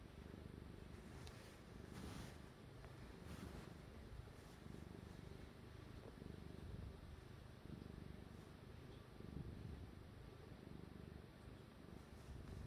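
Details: Kneading house cat purring: an even, deep, throbbing rumble that carries on without a break, joined by a few faint rustling ticks and brushing noises.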